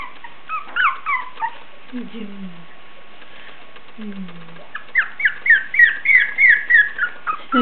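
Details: Very lively Basenji puppies aged three weeks and one day give rapid, high whimpering squeaks, with a woman's voice murmuring low in between.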